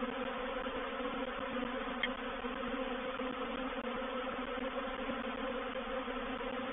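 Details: Swarming honey bees, a reproductive swarm, occupy a bait hive at Painted Peacock Manor, 04/07/21. A steady, dense, low hum of countless wings continues throughout, with a single faint tick early on.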